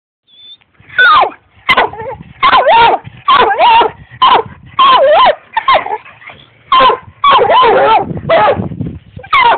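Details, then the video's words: Barkley, a pet dog, barks at the cat: about a dozen loud, tonal, yelping barks with bending pitch, some drawn out and wavering, in uneven bursts, with brief quiet gaps between. "Barkley barking at the cat"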